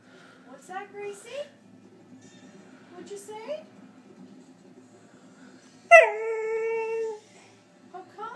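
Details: A 7-month-old female Border Collie 'talks' in short rising whines, then holds a long, steady howl-like note.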